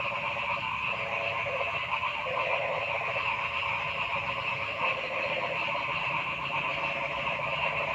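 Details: Frogs calling in a forest: a dense, noisy chorus of continuous pulsing trills in several overlapping bands, with no clear single caller standing out.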